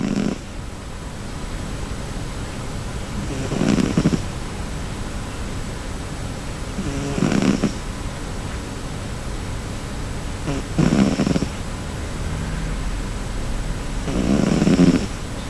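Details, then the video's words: Cherry, a pet cat, sleeping comfortably and snoring loudly; deep, low rasping snores swell roughly every three and a half seconds, with quiet breathing between them in a still indoor setting. "イビキをかく猫（Snoring of the cat）"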